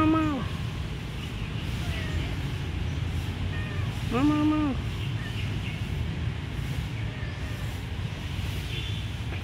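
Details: Friendly abandoned kitten in a pagoda gives two short, clear meows about four seconds apart, each dropping at the end. A constant low rumbling hum fills the background.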